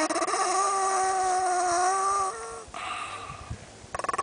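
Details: A 10-year-old white male Pekingese, disturbed while eating a bone, gives a sustained, tonal, whining growl that shifts pitch, then rumbles on more quietly.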